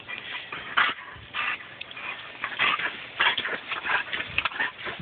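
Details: Pet German Shepherd Kaiser water-biting at a garden hose stream. Irregular bursts of splashing and snapping, about one or two a second, with thin high whimpers mixed into the hiss of the spray.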